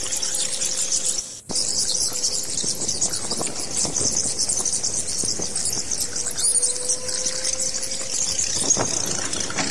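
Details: Bat squeals: a constant shrill, crowded chatter with rapid high clicks. A brief drop-out comes early, and a faint low droning tone returns now and then.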